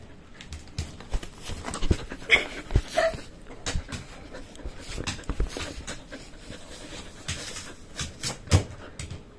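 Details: Shetland Sheepdog indoors, staring at a box of jerky and demanding treats, panting in rapid rhythmic breaths with brief whimper-like squeaks, while a person talks about the dog sitting and lying down on command.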